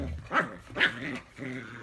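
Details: Three-month-old rescued Siberian Husky puppy indoors, wanting to play fight with an older black Labrador; two rough, loud yipping barks in quick succession, then a drawn-out harmonic growling whine, all within two seconds.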